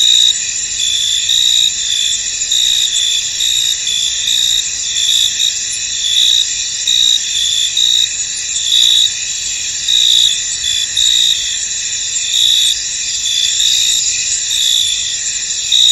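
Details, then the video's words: A misty field chorus of crickets: continuous high, shimmering chirping in several bright bands, swelling in short irregular bursts throughout, with no other animals or noises evident. "Tranquil Cricket Sounds In An Misty Field"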